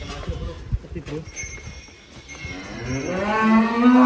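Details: Cattle on a farm, one of three unusual and funny animals shown; clattering, rustling noise gives way to a loud, rising, drawn-out moo building in the final second.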